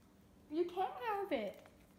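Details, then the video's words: Hudson, a pet Cocker Spaniel indoors, answers being told he can't have something with a short talking vocalization: a mid-pitched, wavering whine-yodel in two bending, speech-like phrases over about a second, in a quiet small room. "Hudson the talking cocker spaniel"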